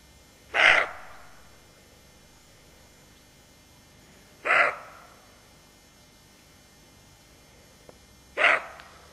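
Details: Alert roe deer doe with her fawn barks three times, each harsh, gruff bark spaced roughly four seconds apart, with near silence between them.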